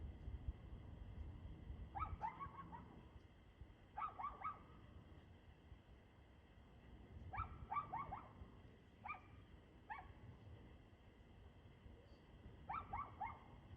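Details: Repeated bursts of two or three barks from a dog, roughly every two seconds with a quiet gap in the middle, recorded at 6:02 pm on 2/6/2024, steady low hum beneath.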